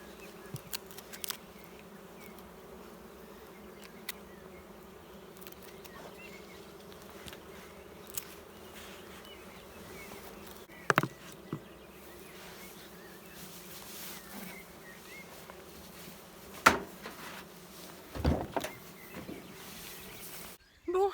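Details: Agitated honey bees inside a queenless drone-laying hive, a ruche bourdonneuse: a continuous, even hum of many wings layered in low bands, broken now and then by sharp knocks and clicks of handling near the hive.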